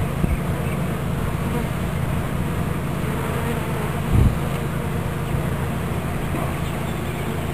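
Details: Honeybee swarm being captured into a new hive body in Watkinsville, Georgia: a dense, steady low buzzing hum of many bees, with a brief louder thump near four seconds.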